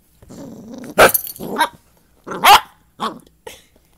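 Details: A dachshund puppy barking for the first time while playing with a big mutt dog who teaches it to bark gives a low growl, then a few sharp, high yips and barks.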